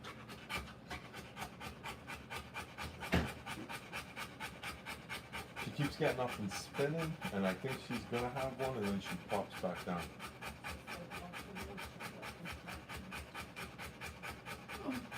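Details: Rapid, rhythmic panting from a Rottweiler delivering puppies runs throughout, about two breaths a second, with a person talking over it for several seconds in the middle and a sharp knock early on.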